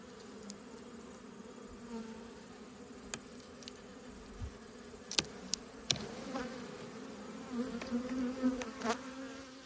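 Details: Autumn honey bee colony at an open hive during inspection, a soft sustained buzzing hum with faint steady tonal bands, broken by scattered sharp knocks and clicks of hive equipment and swelling slightly toward the end.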